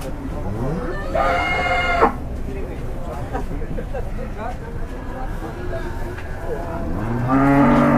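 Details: Agitated, raging cattle in Indonesia: a short harmonic moo early on, then mixed noise and faint calls, and a second loud moo starting near the end, over steady background rumble.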